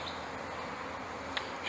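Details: Honey bees from a package being installed into a hive in May 2013, a steady, dense buzzing hum of many bees filling the recording, with a brief sharper tick near the end.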